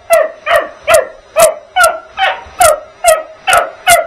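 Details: Young dog Bugs barking at the vacuum: nine evenly spaced shrill yaps in four seconds, each bright and clipped, with the faint drone of the machine behind.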